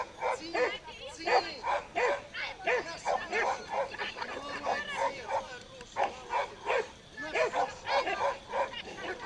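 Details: Pit bull playing tug of war, giving short, sharp barks and yelps in quick, uneven bursts of roughly one or two per second, with people talking throughout.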